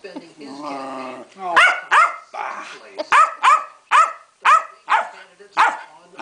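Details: Female Keeshond Pancake throwing a royal superfit: a low, rough grumbling growl, then about nine loud, sharp barks in a steady run, each with a quick upward yelp, while someone speaks faintly.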